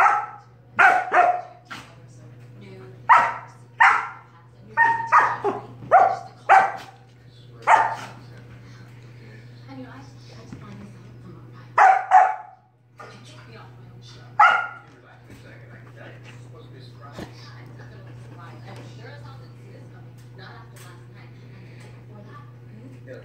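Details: Sorbetto the dog barks in his big sister Biscotti's face to pester her during lazy play. A rapid run of loud, bright barks fills the first eight seconds, with a few more spaced barks later over a constant low electrical hum.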